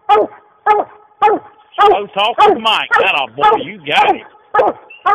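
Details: Treeing dog barking after chasing a raccoon up a tree, short loud barks repeated about twice a second, with a man's voice talking over the barking in the middle.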